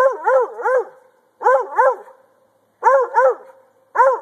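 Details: Treeing Walker Coonhound male dog barking while treeing, urged on with "get it": clustered arched barks in pairs, each burst followed by a pause of about half a second.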